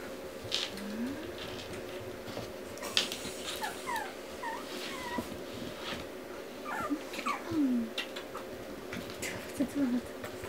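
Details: Pomeranian puppies whimper now and then across ten seconds: short sliding squeaks and whines scattered among clicks, handling noises and a constant hum indoors.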